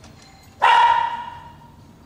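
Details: Tabby, a small Lhasa Apso being trained not to bark at visitors, gives one sharp, bright, fairly high bark at the front door that holds its pitch and fades over about a second against a quiet background.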